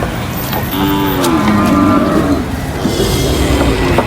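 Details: A cow unloaded from a truck at the market gives a drawn-out moo that slides downward, followed by fainter lowing against steady market clatter and background noise.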